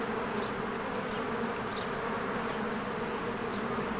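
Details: Many honeybees flying in and out of their hive in spring, with flowers blooming. A dense, steady buzzing drone holds throughout, with low hum bands and a few faint high chirps above.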